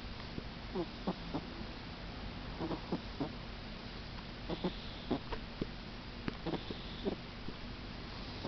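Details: Sushi, a female pug, snoring as a little baby: short snorting bursts in irregular clusters, several per second at times, then brief pauses, throughout the recording, over steady background hiss.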